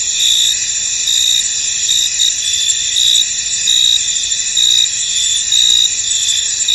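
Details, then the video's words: Crickets in a misty, foggy field, forming a dense, steady high-pitched trilling chorus with brighter pulsed chirps recurring about once a second over a constant shimmering background hum. "Tranquil Cricket Sounds In An Misty Field"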